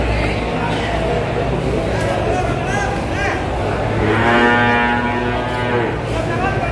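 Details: Cattle with a spotted, leopard-like coat being unloaded from a truck at the Kliwon cattle market in Kudus, Indonesia; a long, low, drawn-out moo with rising harmonics near the end, over a crowd talking and engine rumble.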